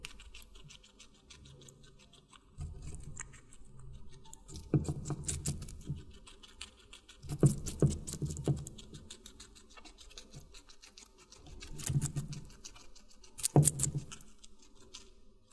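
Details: Watermelon being chewed by a guinea pig, captured close for ASMR: quiet pauses broken by bouts of crunchy, clicking bites in groups of several, the strongest clusters near five, eight and fourteen seconds, over a low background drone.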